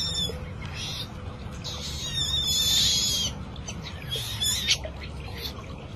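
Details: A young otter discovering water for the first time gives thin, high squeaky chirps in short bursts over a low background rumble.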